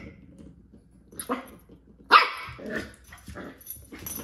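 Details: Corgi puppy playing against a ball, giving one sharp, loud bark midway, with softer yips, brief growly sounds and scuffling around it.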